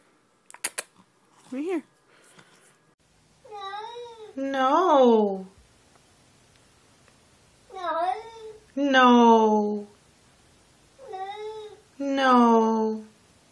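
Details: Pet cat 'talking' indoors: three pairs of meows, each a short chirp followed by a louder, longer downward-sliding meow, repeated about every four seconds; faint taps at the start.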